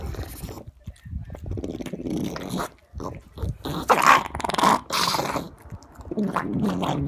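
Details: Pug eating broccoli, making weird noises: irregular snorting, smacking and chewing bursts with short growl-like grunts and squeaky whines, loud and close, separated by brief pauses over several seconds.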